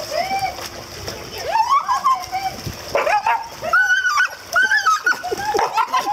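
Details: Border Collie, excited about swimming and dock jumping at a warm-water swimming facility in Spring, Texas, gives high, gliding whines and yelps that rise and fall in bursts, over splashing water and human voices.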